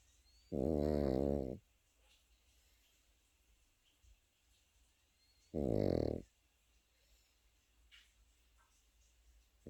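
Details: Pekingese puppy asleep, snoring in two long rattling breaths about five seconds apart, each a low, finely pulsed buzz lasting roughly a second, with near silence between them.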